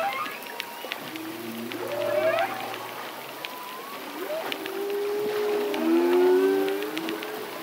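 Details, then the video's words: Humpback whale song from a lone male, recorded across the breathing cycle. Low droning units lead into swooping upward cries, then long sustained moans that swell in loudness, with faint clicks behind. "Humpback Whale. Song From Solo Male Through The Breathing Cycle."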